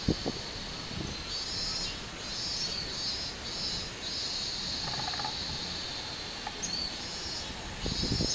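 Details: Minminzemi, the robust cicada, recorded 24 July 2016, giving a bright high-pitched buzz that throbs in loose pulses. A constant whine from other insects sits above it, with brief low knocks at start and end.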